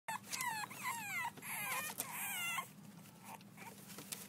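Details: Six-week-old French Bulldog puppies at play, giving overlapping high whines and squeals, several sliding downward in quick succession during the first half, then trailing off into quieter rustling.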